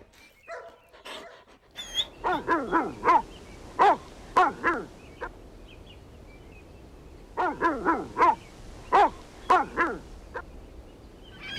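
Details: Outdoor play fight over a toy between puppies and their mother dog; clusters of short, bright barks in two bursts separated by a brief lull.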